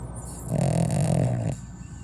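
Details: Sleeping dog snoring indoors; one deep, rasping, low-pitched breath lasting about a second, between quieter breathing.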